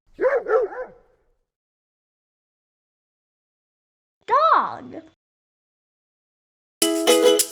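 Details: Dog barking, presented in a toddler lesson on farm animal names and sounds: a quick double bark, then a single bark about four seconds later, followed by a burst of music.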